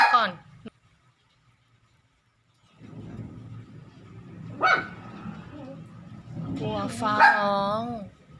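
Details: Pet dog frightened by thunder, jumping up to its owner; brief high yelps, then a wavering, whining cry near the end, mixed with a woman talking affectionately to it and faint music.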